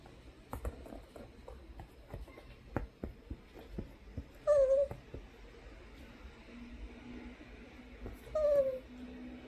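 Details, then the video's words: Poodle making strange noises because it is not allowed onto the sofa: two short, tonal, slightly wavering whines several seconds apart, with scattered knocks and household rustling in between. "이상한 소리내며 쇼파에 올라오고 싶은 푸들"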